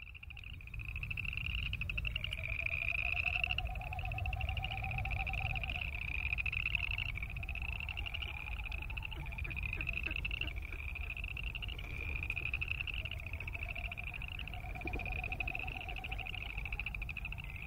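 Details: Boreal chorus frogs croaking: rising, pulsed trills, each about one to two seconds long, repeated in an overlapping series every couple of seconds. A fainter, lower rising note appears twice, over a steady low rumble.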